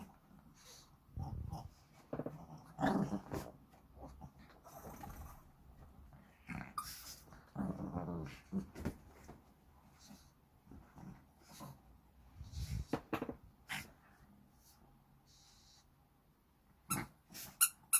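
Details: Two Shih Tzu brothers playing at home, recorded 12 April 2023: scattered low growls, snorts and huffing breaths in irregular bursts, with scuffling and thumps from the play, ending in a few sharp louder knocks.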